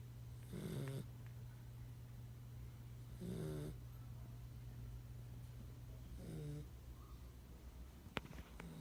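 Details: Sleeping pit bull puppy, nine weeks old, snoring in low breathy rasps, three snores about three seconds apart, with a faint click near the end and a constant low electrical hum.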